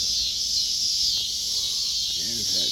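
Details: Backyard cicadas sing around a group of kittens, making a loud, continuous high-pitched buzzing wash without pauses. Near the end, a man's voice briefly cuts in beneath it.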